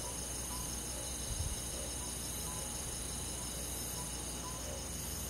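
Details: Crickets and other insects on a summer night in a rural forest, a dense steady high-pitched shimmering chorus with soft faint notes recurring in the middle register and a brief low thump near the start.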